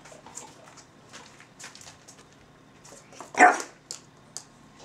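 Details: A Russian Toy, Zora, and a Belgian Malinois, Bazooka, exchange barks: quiet scattered yips and snuffles, then one loud sharp bark at three and a half seconds, followed by soft short yaps.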